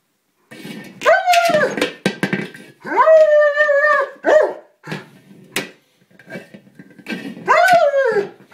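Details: Frustrated German Shepherd, upset at failing to puncture a small buoy, gives loud, sliding whines and yelps in several bursts, mixed with a few short barks and gaps of quiet.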